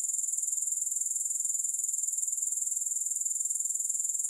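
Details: Grasshoppers in a three-hour sleep and relaxation recording with no music. A high, shrill, rapidly pulsed trill runs without pause for the whole stretch, steady in pitch and loudness, with no other sounds.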